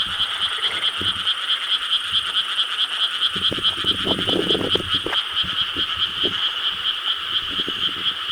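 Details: Frogs in a dense chorus in Korean rice paddies on a summer night, 4 July 2013: a constant pulsing wall of croaks with bright bands, many callers overlapping, plus scattered lower, louder croaks from nearer frogs in the middle of the recording.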